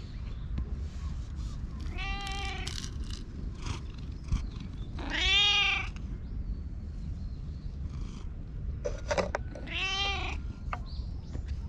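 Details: Stray community cat in a park, recorded outdoors with a GoPro: three separate drawn-out meows, each rising then falling, spaced a few seconds apart, over a steady low rumble of background noise.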